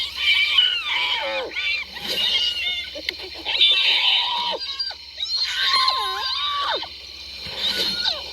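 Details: Hyena giggles and squeals: scratchy chattering notes mixed with looping swoops that dip and rise again, plus a few sharp clicks, in an uneven, excitable sequence.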